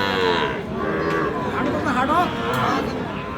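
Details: At Aftabganj market in Dinajpur, 31 March, Sahiwal bull calves low amid the bustle. Wavering, harmonic moos rise and fall early and again near the middle, with chatter and crowd noise running underneath throughout.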